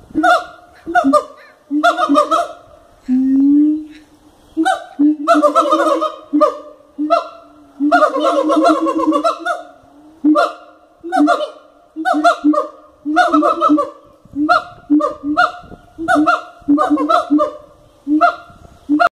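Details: Siamangs at Cotswold Wildlife Park, a captive group, calling loudly: repeated honking hoots and rapid barking runs in a steady series, with a brief rising squeal near the start.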